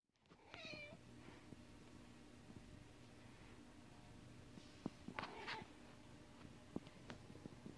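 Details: Cat playing fetch by itself: one short, clear meow near the start that slides downward, followed by quiet room tone, then clattering knocks and thumps of play.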